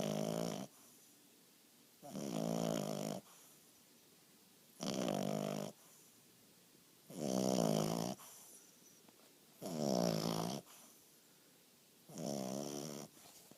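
An English bulldog puppy snores in loud, rasping bursts about every two and a half seconds.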